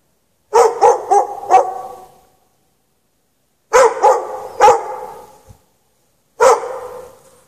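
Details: Dog chained outside in snow without shelter at night, between 8 and 11:30 PM on 3/3/14, barking in bursts: four quick barks, a pause, three barks, then a single bark, with quiet gaps between.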